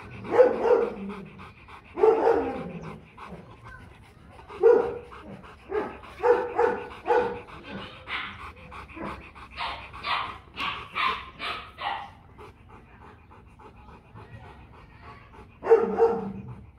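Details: Rottweiler barking aggressively to threaten another dog: forceful, deep barks in single and paired bursts with pauses, then a quick run of about eight barks, ending in a final double bark after a few seconds of quiet.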